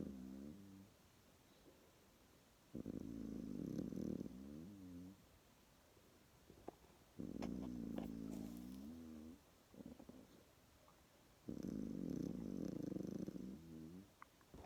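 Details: A little koala, asleep after its formula lunch and napping with one eye open, snores in low, rumbling bouts of a few seconds separated by quiet pauses.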